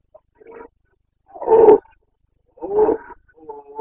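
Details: Carpathian red deer stag roaring in the Bucovina mountains of Romania during the rut on 29 September 2022: three short, hoarse, broadband bellows about a second apart, with quieter grunts between them.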